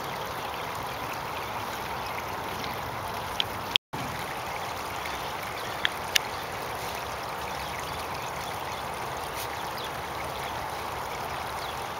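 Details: Steady rushing of flowing water in a park, with a brief dropout near four seconds and a few sharp clicks.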